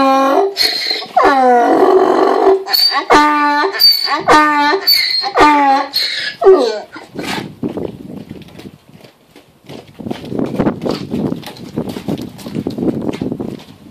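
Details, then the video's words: Mo, a donkey also known as Moses, calls for his dinner. A run of rhythmic see-sawing hee-haw brays repeats about once a second for several seconds, then gives way to quieter rustling and scuffling noises. "Braying Donkey Mo waiting for dinner."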